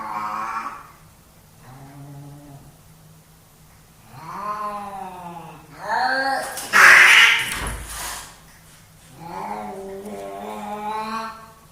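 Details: Pet cats, two males, fighting for dominance at home: repeated bending yowls with rising and falling pitch, separated by pauses, one broken by a sudden loud hiss-like spit.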